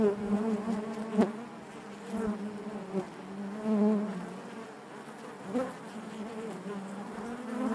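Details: Many honey bees humming within the hive, a steady low buzz that surges louder near the middle, with a sharp knock early on and occasional soft ticks.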